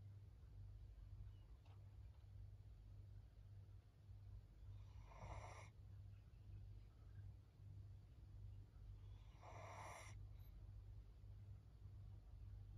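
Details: Soft snores from Maria, a senior fawn female Pug aged 13, at home in Japan on 14 April 2024: two airy, rasping snorts about four and a half seconds apart, with a constant low hum beneath.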